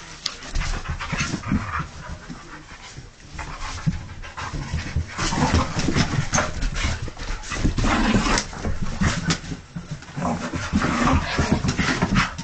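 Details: A husky worked up and excited indoors, giving rapid, uneven huffing pants in quick bursts, with scattered low, rough vocal noises mixed through a close, busy room sound.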